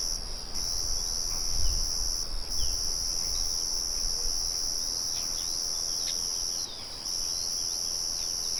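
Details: A cricket chorus outdoors, with birds and a windmill humming in the background. A shrill, continuous high-pitched trill holds throughout, dipping briefly around two and seven seconds. Scattered thin bird notes and a low rumble sit underneath.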